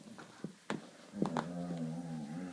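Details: A female Collie making strange noises during a game she plays every night, indoors: a few sharp taps and clicks, then a low, steady, humming moan with rich overtones held for over a second, wavering slightly in pitch.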